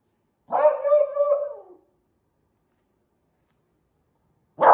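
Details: Elly, a lemon beagle puppy, shown as she grows from two to ten months old, gives a loud, drawn-out bark with a wavering tone lasting over a second. A second bark starts just at the end.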